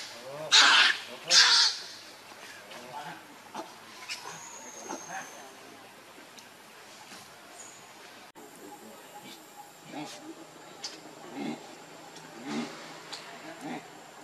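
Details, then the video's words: Baby monkey Lucie gives two loud, harsh, broadband screaming cries in quick succession near the start, followed by faint, scattered squeaks and rustling against a quiet background with a thin steady high tone. "Very Pitiful Lovely Baby Monkey Lucie"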